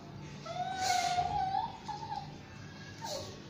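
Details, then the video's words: Shih Tzu–Yorkie mix dog Basuki in the bath, letting out one long, steady, slightly wavering whine, then a brief clatter and a short falling whimper. "basuki the mix shitzhu and yorkie lagi mandi"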